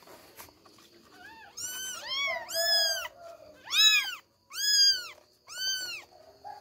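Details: Kittens Billie, Ely and Backy trying to escape their bed give about six loud, rising-then-falling meows roughly one per second, after a quieter start with soft thin squeaks.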